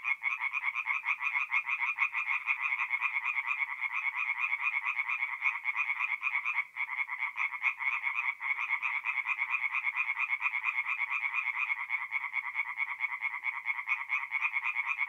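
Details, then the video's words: Forest pond at night in mid-April, north-east Italy, full of singing tree frogs: an unbroken, crowded chorus of rapid rattling croaks, pulses tumbling over one another, with only brief dips in loudness. "relaxing forest pond by night with singing tree frogs"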